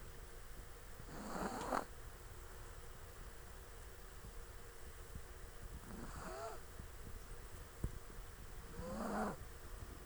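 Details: A sleeping Chihuahua snoring: three breathy, rasping snores roughly every four seconds, each carrying a faint whistling tone, with quiet background hiss between breaths.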